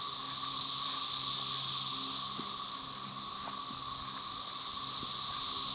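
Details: Continuous high-pitched hissing roar of cassini periodical cicadas (Magicicada tredecassini), Brood XIX, with M. tredecim in the background, Tyler Bend Park near Marshall, Arkansas, May 30, 2011; the wall of sound eases slightly midway, then rises again, with a few faint clicks.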